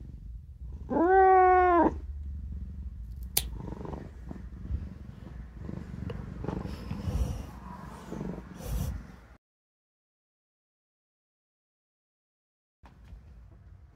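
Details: Indoor domestic cat objecting to claw clipping gives one long, rising-then-falling complaining meow, followed by low rumbling grumbles and rustling handling noise before going quiet.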